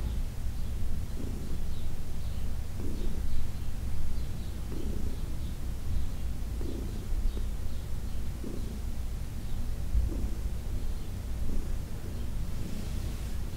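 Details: Senior cat Heidi purrs while being massaged, June 17, 2021; a continuous low rumble swells in soft pulses about every two seconds, while faint birds chirp high in the background.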